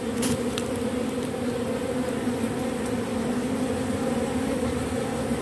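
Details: Robber bee reusing propolis from matchsticks gives an even, humming buzz with layered overtones, constant for the whole stretch, with a couple of brief clicks near the start.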